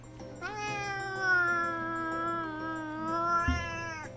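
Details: Indoor pet cat calling out during its owner's live game broadcast. One very long, sustained meow starts abruptly, holds a steady wavering tone for more than three seconds, then ends sharply, with faint background tones throughout.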